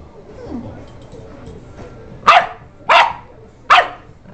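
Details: A pet dog giving three loud, sharp barks spaced about seven tenths of a second apart after a quiet stretch with faint voices in the background.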